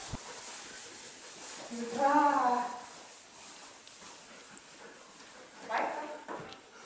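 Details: Dog Neo on his first day herding sheep, barking out of annoyance at the stick rather than at the sheep; one drawn-out harmonic bark, then a shorter second one, with quiet Finnish talk between.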